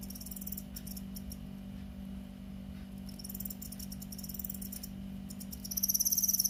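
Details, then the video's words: Crickets from a rice paddy giving short high pulsed chirps and trill bursts, one louder, closer trill at the end, above a constant low hum. "귀뚜라미 곤충의 최고의 소리"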